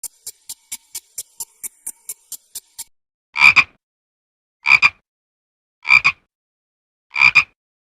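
A frog gives a quick run of sharp ticking clicks, then slow, raspy double-pulsed croaks.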